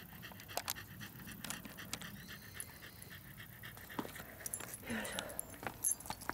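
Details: Ichi, a male Shiba Inu born in 2012, on an autumn countryside walk among rice fields after dashing away from mosquitoes; quick, breathy panting bursts repeat rapidly, with rustling footsteps and scattered ticks and knocks around him.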